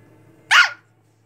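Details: A young Shih Tzu puppy, the third of a litter, pesters its mother and gives a single sharp, high yap that rises and drops quickly.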